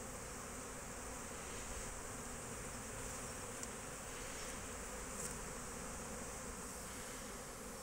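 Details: Honey bees at an apiary, out foraging on 12 March 2024; a steady, dense buzzing hum of many bees, low droning band with a hiss above, continuous throughout with small clicks.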